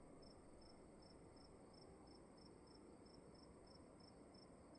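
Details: Cricket calling indoors in a room, a steady series of short, high chirps repeated about three times a second over a soft, constant low rumble of room noise.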